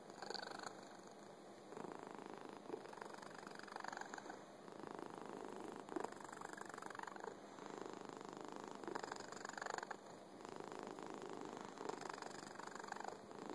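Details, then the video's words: Fuzzy house cat purring at length, a soft continuous rumble in regular breathing cycles, each phase lasting about a second or two, recorded close up in a quiet room. "Fuzzy cat purring"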